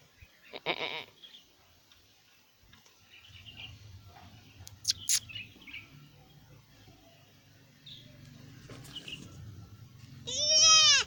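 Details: Newborn goat kid, recorded 13/1/2025, bleats loudly at the very end after a long stretch of low humming background noise broken by occasional knocks and faint rustling.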